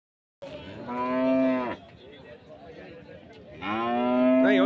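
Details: At a cattle market in Bagalur near Hosur, India, 13 February 2025, HF and Jersey cows give two loud, rich, harmonic moos of over a second each, separated by a short pause with soft background chatter.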